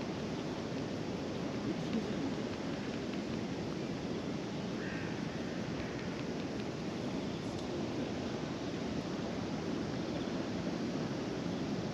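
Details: Steady broadband wind and surf noise at a ferry terminal by the sea, with no clear animal voice heard.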